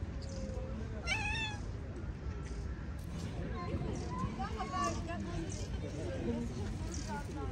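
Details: Two stray street cats face off outdoors as one tries to spook the other, which stands its ground. A drawn-out, rising, wavering meow comes early, then shorter mewing calls follow, over a low urban rumble and background voices.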